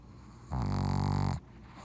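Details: Loud snore from Pugzou the pug: one strong, rasping, buzzy breath under a second long, rich in low tones, starting and ending abruptly, with quiet room noise before and after.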